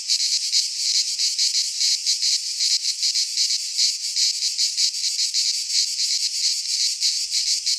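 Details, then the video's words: Midsummer cicada chorus from a pine forest in Greece, a harsh sizzling drone held high and unbroken, throbbing in quick regular pulses for the whole stretch, with nothing else audible beyond a faint low rumble near the end. "Cicadas singing in midsummer - Nature sounds from the Greek fauna - Sounds of cicadas"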